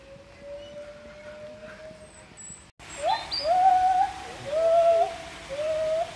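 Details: Zoo gibbons at Chester Zoo in March 2024, two perched on top of a post, while children call back to them. A steady tone gives way to whistled notes that rise and slide, repeating about once a second.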